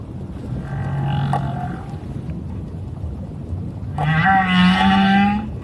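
Two drawn-out, low moans from a whale sound out over a steady background rumble. The first is softer and shorter, and the second swells louder with a slight upward lift and a buzzy, harmonic edge.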